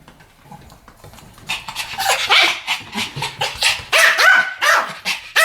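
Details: Pomeranian duet barking: after a quiet, faint start, rapid high yaps begin and continue in a fast, fairly even string from both dogs.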